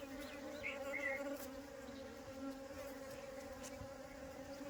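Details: Steady humming drone of a honey bee swarm during capture and rehousing in a hive. The buzz is even and sustained, and a couple of short high chirps appear early on.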